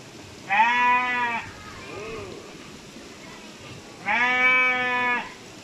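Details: A goat gives two loud, nasal bleats a few seconds apart while defecating.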